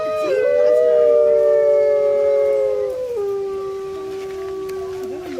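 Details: Grey wolves in captivity at Artis Zoo, 10-11-2013, phone recording, howling to signal location to the pack and warn off rivals; a rising onset leads into two sustained parallel howls, one dropping lower near three seconds.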